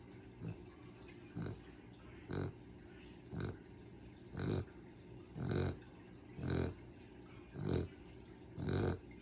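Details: Sleeping dog snoring in a steady rhythm, one low, rasping breath roughly every second, each snore a broadband snort that grows slightly louder over the stretch, over a quiet background.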